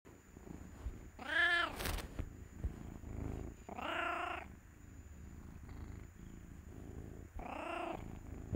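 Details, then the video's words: A deaf female cat, taken in from the streets and described as very affectionate, gives three loud, drawn-out meows spaced a few seconds apart, with a faint steady high whine and soft handling noise in the background. "What a DEAF CAT sounds like"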